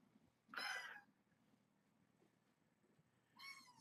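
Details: Foster kittens at dinnertime, being fed canned food indoors with their mother cat nearby: two short, bright, high meows, the first just after half a second and the second near the end, over a quiet room.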